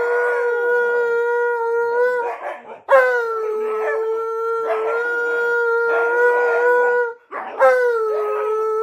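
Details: Dogs joining their owner's rendition of "You Are My Sunshine" while cuddling: sustained, level howls broken by short gaps roughly every two to four seconds, with bursts of human singing between.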